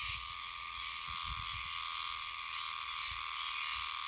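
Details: Meimuna oshimensis cicadas singing high in trees in a green area north of Okinawa City, Okinawa; an autumn species singing September to December. A loud, steady, dense buzzing drone with a strong high whine, running without break.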